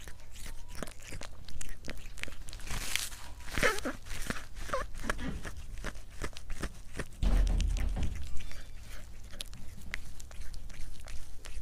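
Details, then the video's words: Cat eating in a mukbang ASMR recording: quieter, evenly spaced crisp chewing clicks, a louder burst of crunching near the start, and a low hum that swells briefly partway through. "고양이 먹방 (CAT MUKBANG ASMR)"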